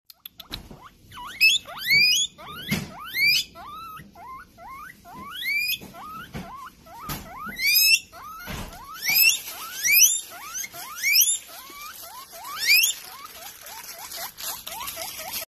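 A guinea pig gives loud, shrill wheeks, each sharply rising squeal repeated in quick bursts.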